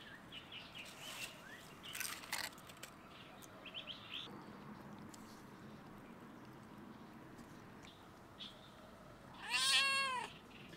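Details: A stray cat on a fence on a campus closed due to coronavirus gives a single clear meow that rises and falls at the person, after quiet outdoor rustling.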